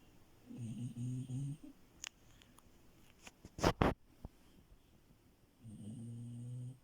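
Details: Deep, pulsing snores from Milo, a female French Bulldog asleep in bed, open and close the stretch. Between them come sharp clicks and a loud rustling burst of bedding noise, then quiet.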